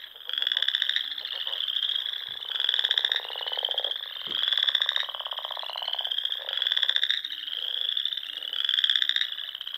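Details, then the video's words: Nebraska Sandhills frogs in spring, singing at dusk by a small lake: rhythmic high trilling chorus rising and falling in regular swells, a lower buzzy drone between, and a couple of brief soft knocks. "RELAXING SOUNDS OF FROGS"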